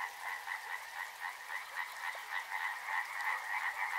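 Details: Frogs calling near a river, a dense chorus of rapid, pulsing croaks layered into a steady buzzing wall, beats tumbling over one another several times a second with no pauses.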